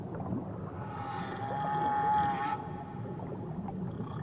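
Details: Near Tahiti, a whale calls with a drawn-out, even-pitched moan, rich in overtones, swelling in the middle and tapering away, over a deep underwater rumble and faint gurgling.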